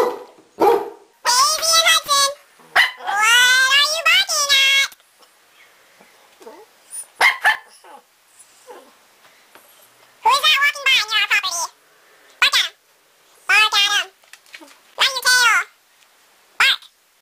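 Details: Hounds barking at passers-by near their property: loud, drawn-out baying calls with strong wavering harmonics come in clustered bursts separated by quiet gaps, and a few softer yips sit in between.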